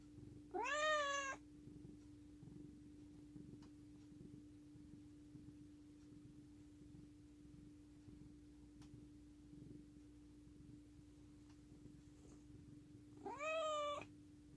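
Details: Affectionate pet cat named Bani, indoors: two clear, drawn-out meows about thirteen seconds apart, each rising and then falling, with a soft rhythmic purr and a steady low hum in the gaps.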